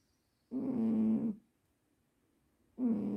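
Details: Juniper the cat, sleeping deeply, snores in rough, droning bursts with a steady low buzz; one snore lasts about a second, a quiet pause follows, then the next snore starts just before the end. The room is otherwise quiet.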